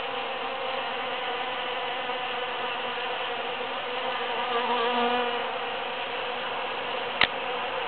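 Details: Bees busily working huge cactus flowers after the June 22, 2013 Super-Full Moon, their continuous overlapping hum swelling slightly near the middle, with a single sharp click shortly before the end.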